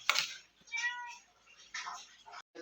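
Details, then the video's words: Domestic cat indoors meowing after smelling fish while it is being washed in a kitchen, refusing to leave the room; a short harmonic meow near one second, with a woman's speech and household clatter around it. "বিড়ালটা কিভাবে ডাকছে, মাছের গন্ধ পেয়েছে আর এই ঘর থেকে যাবে না।"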